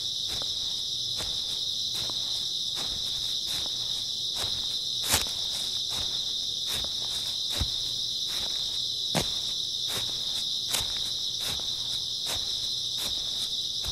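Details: Grass insects chirring steadily in an early autumn night, one high shimmering drone without pauses, accompanied by regular footsteps roughly every 0.8 seconds and a few sharper crunches.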